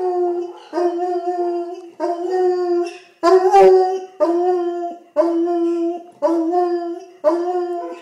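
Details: Hound dog baying: loud, drawn-out harmonic howls, each about a second long, repeated roughly once a second in a steady series, with one rougher, louder bellow in the middle.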